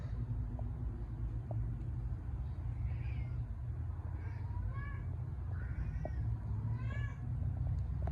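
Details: Orange Thai cat in the morning, giving a run of short, harmonic meows, some rising then falling, over a loud steady low engine-like rumble from nearby traffic.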